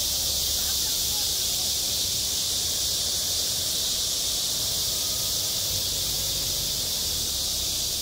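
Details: Cicadas calling on a school playground in high summer, self-recorded: a dense, unbroken high hiss-like drone fills the upper range from start to finish, steady in loudness, with faint low rumble beneath.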